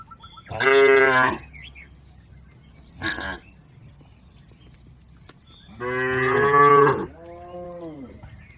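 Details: Cattle herded across a river toward the farm pen give a strong, harmonic moo, a short clipped call, then a long moo that flows into a softer, lower moan, heard outdoors.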